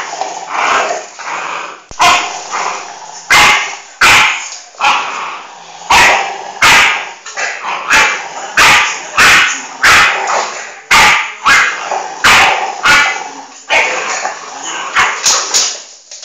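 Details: A Bull Terrier growls and barks in rough, irregular bursts while facing off against a Dogue de Bordeaux, which joins in.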